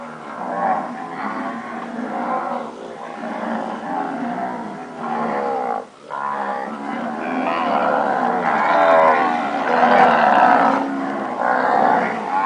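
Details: A herd of purebred Nelore cows that have calved, many lowing at once in a dense, continuous chorus of overlapping rich moos, with one brief lull near the middle.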